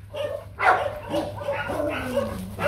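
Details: Nano Gervi, a young male Rottweiler stud dog bred at the Gervi kennel, son of imported sire Bruno and Melsee Gervi, gives short yips and a thin, wavering whimper that slides downward, with a person's voice nearby.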